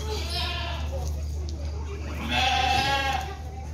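Guinea pig giving two drawn-out, tonal squeals over a steady low electrical hum.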